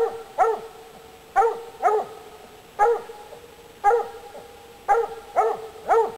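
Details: Treeing Walker Coonhound bitch baying a squirrel up a tree: steady, resonant barks, often in quick pairs, about one per second, with a little echo and little other sound.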